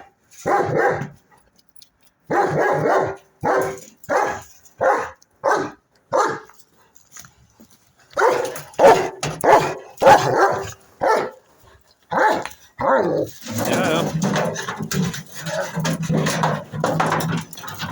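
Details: German Shepherd named Odin barking in short, harsh bursts, singly and in quick runs of two or three, with brief pauses between; a dense, rougher stretch of overlapping barking and noise fills the last few seconds.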